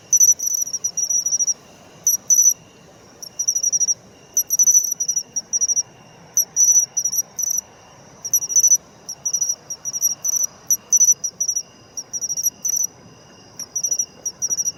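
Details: Singing matsumushi (pine cricket) in autumn: a long run of sharp, bell-like high chirp phrases, each of several rapid pulses, spaced irregularly, with a thin steady insect drone in the background.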